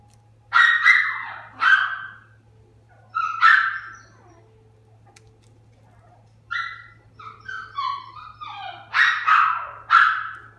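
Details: Toy Poodle at a pet shop in Kariya, Japan, uttering high, nasal whining yelps: two separate cries, then a drawn-out whine, a pause, a quick falling chain of short whimpers, and two final loud whines, over a faint low hum.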